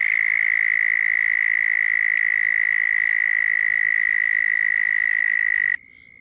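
A toad gives a long, steady, high-pitched trill that holds one even pitch before stopping abruptly.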